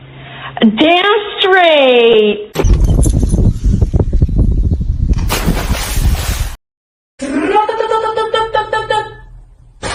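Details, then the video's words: Cat meowing indoors: a long drawn-out meow that rises then falls over about two seconds, followed by loud bumping and clattering noises, then a second shorter, steadier meow. "kitten meowing"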